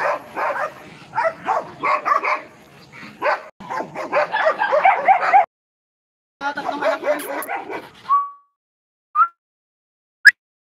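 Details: Belgian Malinois resting after a long journey, barking in quick, closely spaced bursts for about five seconds, then after a short pause a briefer run of barks, ending in a thin whine-like tone and a couple of faint clicks.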